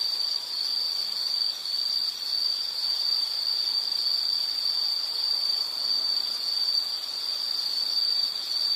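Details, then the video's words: Insects calling in a nature soundscape: a steady, very high-pitched continuous trill that barely wavers, with a faint soft hiss behind it and no other clear sounds. "Sound · Nature Sound of nature sounds scenery L · insect"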